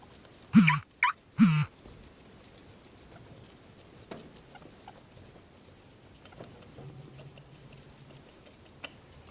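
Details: Percy the guinea pig lets out three quick, harsh bursts of sneezing within about a second, each a short broad snort. Faint rustling and a low hum follow over the remaining seconds.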